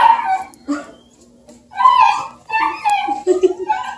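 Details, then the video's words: Playful young Bluetick Coonhound pups with Redbone companion Luke, Kingston, Ontario: repeated shrill whining yelps in short bursts, separated by brief quiet gaps, with overlapping squeals from several pups. "Baby Bluetick Coonhound puppies and their Redbone buddy Luke"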